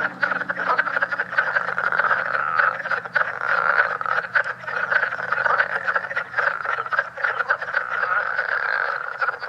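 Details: Great Swamp National Wildlife Refuge leopard frogs, reported as a recently discovered form from NY and NJ that sounds different: a continuous rattling chorus of quick crackling pulses, overlapping callers, and a soft low hum in the background.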